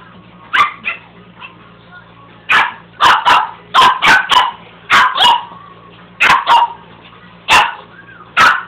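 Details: Pet dog barking at a carpet sweeper indoors: sharp, loud barks, often in quick pairs or triplets, about fifteen in under nine seconds, with a low steady machine hum underneath.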